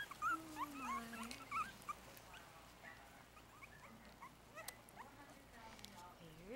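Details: Four-week-old Yorkshire Terrier puppies, a litter of five, eating a mix of puppy milk and ground puppy food from a dish. High, thin whimpering squeaks rise and fall in quick bursts, with a longer lower whine and soft background noise.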